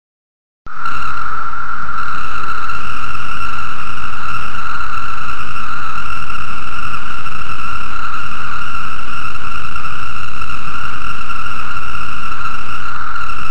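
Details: Male 17-year Magicicada cicadas, newly emerged in Virginia, sing in a canopy mating chorus, a steady unbroken drone with a ringing, nasal tone that holds throughout; cicada.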